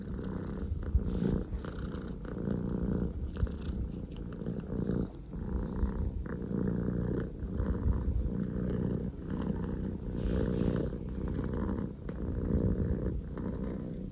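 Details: Poko J, a male Scottish Fold kitten born 15 October 2019, purring at full engine-like volume indoors: a steady, rumbling low purr with rhythmic pulses of breath throughout, continuous and loud.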